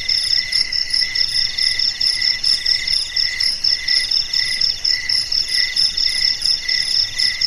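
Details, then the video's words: Crickets singing in the lonely quiet of night, high ringing trills broken into regular pulses, roughly two bursts per second, with several insects overlapping at different pitches. "SUARA JANGKRIK MERDU DI MALAM HARI"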